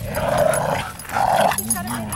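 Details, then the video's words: At a local dog park, ten-month-old Fozzy romps with other dogs: two broad, rough bark-like bursts about a second apart, followed by people talking casually. "Fozzy at the dog park"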